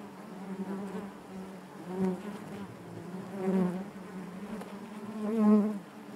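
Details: Low, even buzzing of a honey bee colony inside the hive, swelling gently three or four times as bees drift nearer, the strongest swell near the end.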